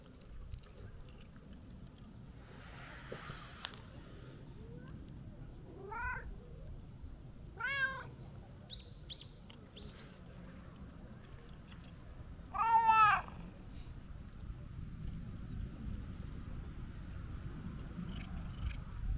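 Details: Talkative, affectionate stray brown-tabby-and-white cat greeted on a New Year visit. It gives a series of drawn-out, wavering meows, several close together, then a louder long meow after a pause, over soft rustling and a low background rumble.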